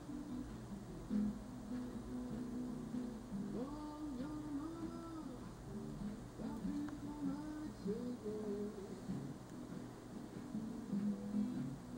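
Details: Quiet indoor music with soft humming or singing over a steady low hum, and no animal voice present.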